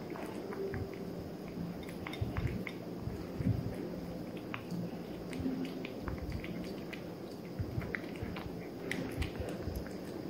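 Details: Kosey, a three-month-old Maine Coon Persian mix kitten, eats indoors in a small room: steady wet chewing and squishy biting with scattered sharp clicks and soft drips over a low, constant hum.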